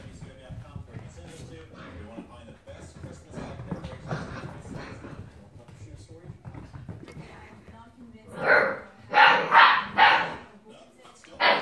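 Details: Six-week-old Great Dane puppies give a few sharp, high yipping barks after a stretch of quiet chatter.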